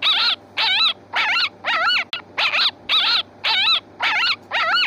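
A fox gives a steady series of hoarse, wavering barks, about two per second.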